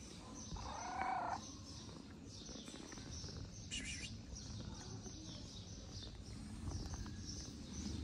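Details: A stray tortoiseshell cat in Morocco, seeking affection like a white cat nearby, gives one short mid-pitched meow near the start, then stays quiet under a steady outdoor rumble and scattered scraping sounds.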